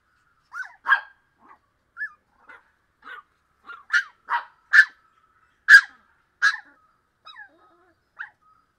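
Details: Miniature Pinscher puppies, 40 days old, playing: a string of short high yaps and squeaky barks, irregular, about one per second, some doubled, in an otherwise quiet setting.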